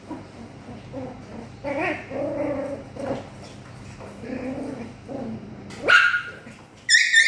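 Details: Poodle puppies during play time on 9 April 2026: soft whining and whimpering yips, then two sudden higher, louder yelping barks near the end, with a low background hum.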